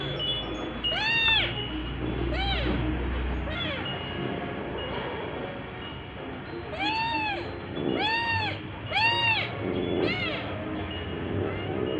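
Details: Pet cat at the 19 March 2023 second birthday of orange cat Jay, meowing repeatedly: about eight clear, bowed meows in two bursts, some in quick succession, with chime-like tones and a low hum behind.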